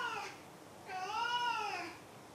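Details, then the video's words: A brief clipped sound, then one full arched meow from the domestic cat Maru, rising and falling over about a second, recorded indoors. "鳴くねこ５。 Meow Meow Maru 5"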